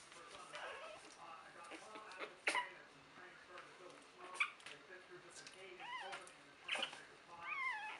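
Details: Three-week-old puppies from Buttercup's litter make scattered faint squeaks and wavering whines, some rising and falling, over soft room noise.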